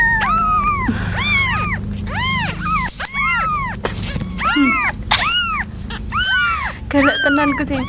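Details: Cat uttering a quick run of short arched meows, roughly a dozen in a row, with faint low background noise and occasional clicks.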